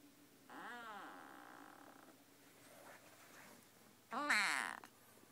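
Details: Suki, a female Siamese kitten, making strange noises indoors: a long wavering, harmonic, meow-like call lasting about one and a half seconds, then after a quiet pause a shorter, louder and harsher cry, in a quiet room.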